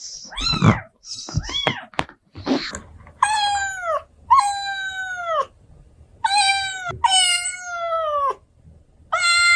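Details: Domestic cat meowing indoors. Short chirpy cries come first, then four drawn-out, rising-then-falling, strongly harmonic meows spaced about one to two seconds apart, with a faint low hum underneath.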